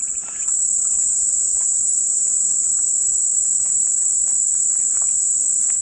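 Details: Cicadas droning in a steady, unbroken high-pitched buzz that holds level throughout, with faint soft chirps scattered underneath, offered as calming white noise.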